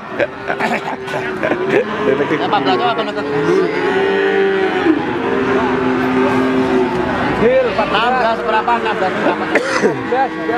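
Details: Adult feeder cattle at Wagenan cattle market in Pati, Indonesia, 5 March 2019: drawn-out, low moos swell midway through, over a steady hubbub of talking traders and passing engine noise.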